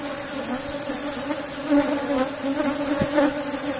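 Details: Asian honey bees (Apis cerana) from a strong cultivated colony in a box hive during honey harvest, a steady low droning hum with a clear tone and its overtone, swelling briefly in loudness midway.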